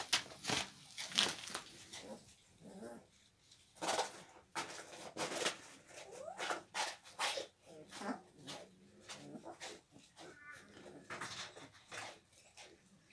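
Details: Kangal dogs at the Altın Yayla Kangal farm give sharp, broadband barks and short whimpers in irregular bursts. Brief quiet gaps separate the bursts, and a little human speech is heard.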